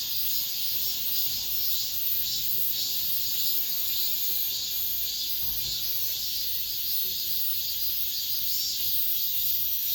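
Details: Cicadas singing in an apartment complex at the close of summer, the last of the season: a dense, continuous high buzzing chorus that swells gently in pulses about twice a second, with steady hiss and no other clear sounds.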